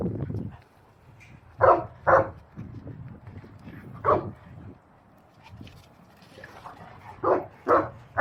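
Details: Deep single barks from a Boerboel at the Abafana Bomlungu Boerboels kennel: a quick pair, a lone bark, then another close pair, separated by quieter low murmuring between them.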